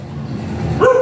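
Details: A very small Shih Tzu at a stud service in Tayug, Pangasinan, gives a single sharp, high yip that rises quickly and then holds briefly near the end, after a low, steady background rumble.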